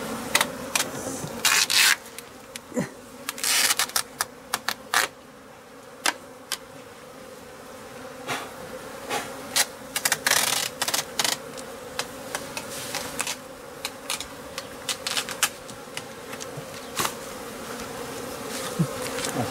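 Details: Japanese honey bees from an overwintered colony kept at home, swarming for the second time and being taken into a hive. A continuous droning hum runs throughout, broken by many loud sharp clicks and knocks.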